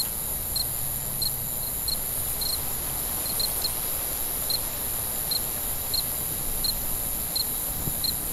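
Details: Crickets chirping at night: bright, short, high-pitched pulses, sometimes doubled, repeat at an uneven pace above a continuous high insect drone and soft low rumble.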